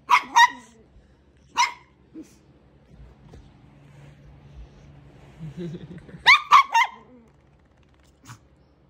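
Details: Two young Brussels Griffon pups playing together excitedly indoors, giving short sharp high yapping barks in quick bursts at the start and near six seconds, with quiet murmuring between.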